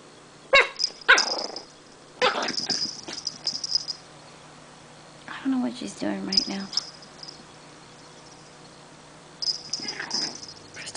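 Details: Energetic Chihuahua puppy indoors at 12:30 am, wide awake, giving sharp short yaps, a few in quick pairs, then a low rumbling grumble midway, with a woman softly talking and whispering between the sounds.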